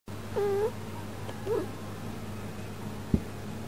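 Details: Yukke, a pet cat reacting to catnip powder caught in a camera lens and biting at it indoors; a drawn-out steady meow, then a short rising chirp-like mew, and a sharp click near the end over a low hum.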